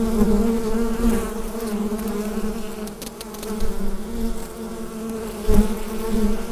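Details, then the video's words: Hive of bees humming, recorded on a Rode NT-USB microphone; a continuous low buzzing drone with gentle rises and dips in loudness and a brief louder surge near the end. "Bee Hive Sound Effect"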